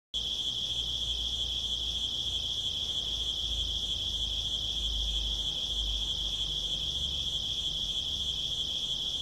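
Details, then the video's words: Cricket chirping at night: a steady, continuous high-pitched trill with regular pulsing, sustained throughout without pause, over faint low background noise. "cricket sound for relaxing,deep sleep,insomania,asmr"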